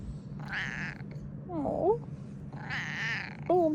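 A Ragdoll cat gives soft, short chirping meows that bend up and down in pitch.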